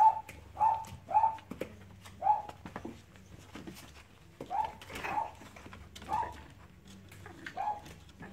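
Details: Short whining yelps from Cavalier King Charles Spaniel puppies during play, repeated irregularly, nearly once a second, some doubled, with light clicks and rustling between.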